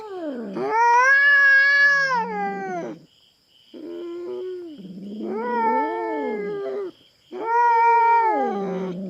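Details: Aggressive feral cat on a Philippine farm, invading another cat's territory and facing a black cat; loud wavering caterwauls, a low moaning middle section then sharp rising howls, each lasting two to three seconds.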